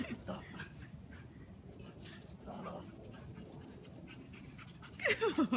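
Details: Panting Shih Tzu in the middle of a chasing game, with rapid soft breaths and scuffles, ending in a loud descending whine with a quick wavering tail.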